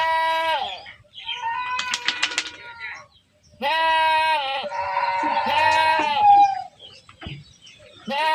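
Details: Herded goats bleating: several long, wavering, nasal bleats in succession with short gaps, one ending in a falling tone, with some rustling between calls.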